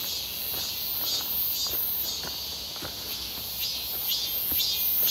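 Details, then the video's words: Many cicadas buzz near Seonbawi during a hot, sunny walk on 1 August 2023 in midsummer; a continuous shrill drone with pulsing, wavering upper bands slowly swelling louder, over steady footsteps. "부쩍 많아진 매미소리"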